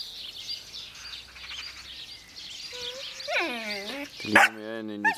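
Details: Young Jämthund named Ida, wanting to play and barking a little at the older dog holding the most important meat bone, as if settling rank. Late in the clip come harmonic, falling yelping barks over chirping birds and a soft voice.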